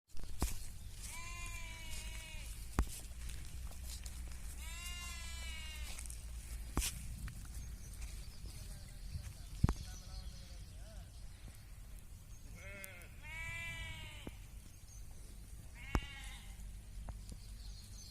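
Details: Sheep on a farm raised for meat, wool, skin and milk bleat several times: harmonic, wavering cries near 0.5, 5, 13 and 16 seconds over a steady low engine-like hum with sharp clicks.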